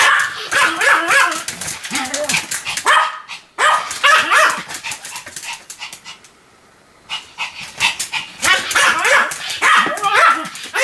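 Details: Pomeranian named Sam barking continuously indoors: rapid bursts of sharp, high yapping barks with harmonic whines, a brief pause near the middle, then another volley of quick yips.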